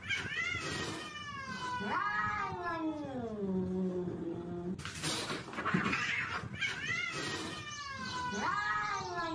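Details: Fighting cats caterwauling in loud, continuous, wavering howls that slide downward in pitch and then swell again, over a steady background hiss.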